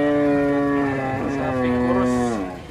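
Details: Bull unloaded from a truck in Indonesia during a rampaging unloading; one long, steady, deep moo lasting over two seconds, then bending slightly downward before it fades, with low background rumble.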